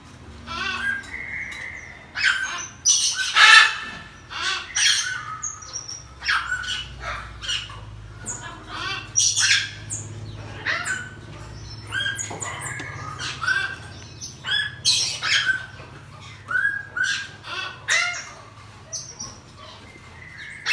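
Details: Pet pygmy marmoset kept at home after giving birth to two babies; a busy stream of sharp squawky chirps with high thin whistles overhead, calls bursting every second or so with short gaps and no other clear sounds.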